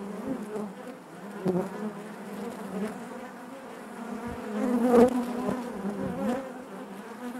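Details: Honey bees in their hive produce a rich, wavering buzz, a continuous low drone with quick fluttering fluctuations and a bright louder burst around the five-second mark.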